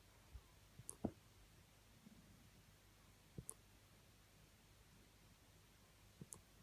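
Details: Millie, a female Boxer puppy about 10 to 12 weeks old, has the hiccups: short, soft, low thumps with a faint click, three in all, coming roughly every two and a half to three seconds in a quiet room.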